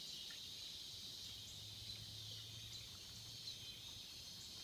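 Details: Swamp cicada chorus forming an even, shrill hiss that never pauses, over a soft low hum running through the middle of the recording.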